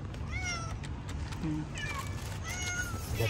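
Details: Hungry cats outside eating fish; several high, falling meows around half a second and two and a half seconds, with a woman's voice speaking Hindi and low traffic-like rumble underneath.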